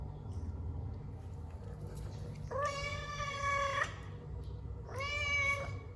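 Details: Indoor domestic cat uttering two long, drawn-out meows, each about one second, steady in pitch with a bright nasal tone and a slight dip at the end, over low background rumble.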